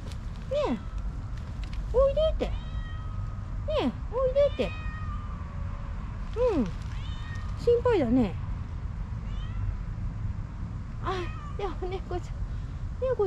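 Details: Stray kittens outdoors, a young cream tabby male and a slightly older female from the same group, meowing to each other: short high mewing cries with falling pitch, about a dozen spread over the clip, above a low steady hum.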